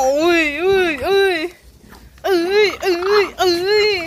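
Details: French Bulldog from a household of pet Frenchies named Pierre, Cherteam and Meringue, indoors, giving high wavering whiny moans that bend up and down, one long burst, a brief pause, then three more quick yodelling wails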